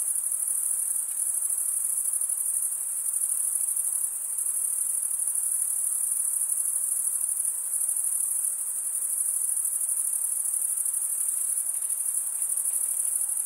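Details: Crickets, mostly males, stridulating by rubbing one wing's toothed vein against the other, producing a continuous, very high-pitched shrill drone that holds steady throughout with only slight swells in volume.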